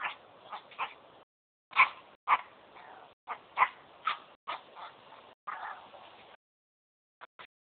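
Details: Smoochie, a young pet dog, giving some of its first barks: high sharp yaps in irregular bursts, several close together then a pause, with light background hiss and a few faint clicks at the end.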